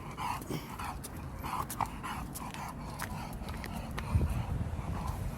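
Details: Pet dog Khan, sulking on arriving home from Gageodo island, gives soft whimpering whines repeated roughly every half second, steady and nasal, against low household rumble and faint human voice.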